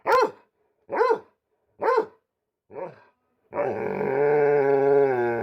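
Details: Pet dog giving four sharp, evenly spaced barks about a second apart, the last one softer, followed by a sustained steady harmonic tone that runs to the end.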